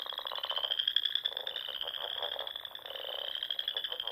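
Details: Frogs singing in spring at dusk among the rolling dunes and small ponds of the Nebraska Sandhills; a dense chorus of overlapping high trilled calls holds steady, with lower pulsed croaks bursting in every second or so.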